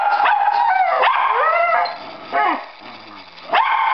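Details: Domestic dog barking for a ball while a second dog whines because it is held back from play; a sharp bark opens, then harmonic whining slides and rises, more barks near 2.5 and 3.5 seconds.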